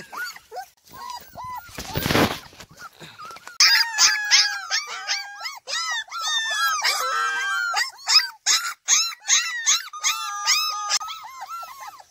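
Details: Several kolfi puppies during morning exercise and play, trying to get out of an enclosure, give a dense chorus of high, arching yips and whiny barks, many overlapping, after a brief burst of rustling noise.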